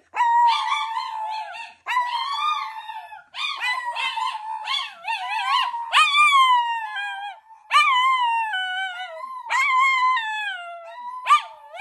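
Chinese Crested dogs howl in long, wavering, tuneful bouts that rise then slide down, one after another.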